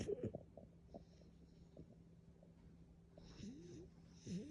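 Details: French Bulldog. Low, rough snoring from a French Bulldog rumbles on in uneven pulses, with brief snorts scattered through. Near the end the breaths turn into squeaky, wheezing whistles that bend up and down, over a faint steady background hum.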